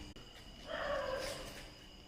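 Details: Puppy giving a single drawn-out whine lasting about a second, a soft tonal cry with a slight wavering pitch, over a steady background hum of insects; a person's voice is heard around it.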